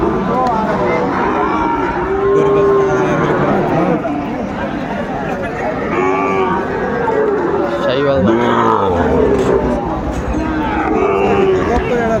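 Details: At a busy Gazipur cattle market in Bangladesh on 27 August 2024, Sahiwal cattle are on sale. A short rising bellow breaks through near the eighth second amid steady talk and haggling from the crowd.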